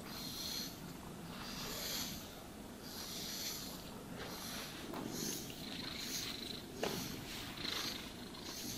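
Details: Domestic cat purring while being brushed and groomed, a steady low rumbling purr under soft swishing brush strokes that come in bursts roughly every one and a half seconds; one sharp click near the end, no talking.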